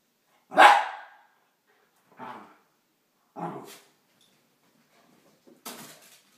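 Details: Wire hair fox terrier Yogi, one year old, at play with a tuxedo cat named Jaz: one loud bark, then two softer huffing barks and a short final one over six seconds.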